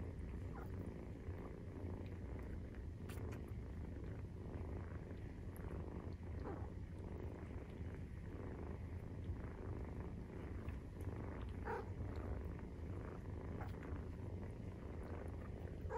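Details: A Maine Coon kitten, 43 days old, keeps up a long purr while nursing: a low, pulsing rumble sustained for sixteen seconds, dotted with faint clicks and rustles.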